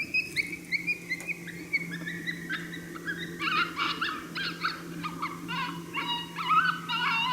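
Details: Coyote heard but unseen during a coyote hunt at St-Andrews on 1 March 2019, giving a challenge bark, unhappy at a person's presence: rapid harmonic yips and barks, sparse at first, then denser bursts, over a steady low hum.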